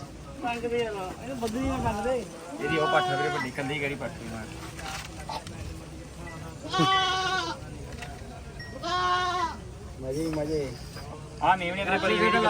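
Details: Goats at a goat market in Mullanpur, bleating in several loud, quavering, wavering cries spaced a couple of seconds apart, mixed with men bargaining and talking close by and a busy crowd background.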